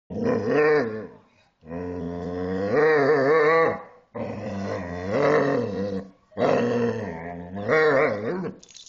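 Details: Pet dog vocalising at length indoors in the evening, while another dog stays quiet; long harmonic, wavering growling moans rising and falling in pitch, about five drawn-out phrases separated by short pauses.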